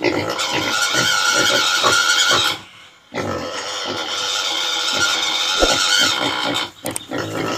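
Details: A desi pig in a village gives loud, harsh squealing grunts in rapid bursts, with a brief pause partway through.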